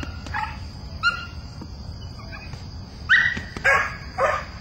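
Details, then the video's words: Young Belgian Malinois bitch Mina on her first chase of the bad guy in bite-work training, friendly rather than aggressive; one bark, a pause, then three quick barks near the end over a constant thin high-pitched drone. "Malinois-1st time chase & bark"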